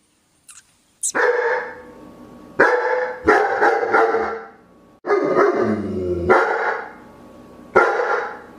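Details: German shepherd barking: deep, harsh barks in four bursts of two or three, each ringing with a short echoing tail, separated by brief pauses.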